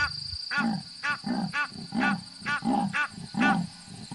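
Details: At Nkoropan, a leopard that had been chasing Egyptian geese calls with a series of rough, rasping grunts, about two per second, like wood being sawn, over a steady high whine.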